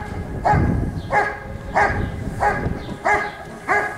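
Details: Rick vom Lindelbrunn, a Giant Schnauzer competing at a 2022 IGP CACT trial in Russia, gives six rich, ringing barks at an even pace over low rumbling background noise.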